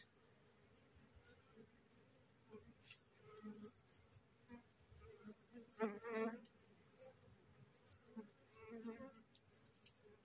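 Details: Straggling bees from a freshly divided wild honey bee colony, swarm transiting on a cassava plant and gathering to the caged queen; low continuous hum with irregular louder surges, broken by two short bursts of a man's voice.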